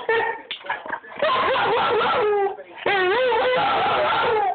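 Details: German Shorthaired Pointer; talking vocalization; asking for her ball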